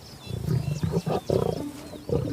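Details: Lions in a pride spar playfully, the sparring growing more intense as preparation for adulthood, one slightly submissive to a larger male. Deep, rough growls and snarls come in short bursts of under half a second, with faint soft music tones above.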